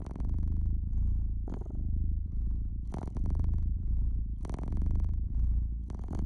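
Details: A domestic cat purrs by a fireplace in a deep, continuous rumble that rises and falls with each breath, while bright crackles from the fire snap over it.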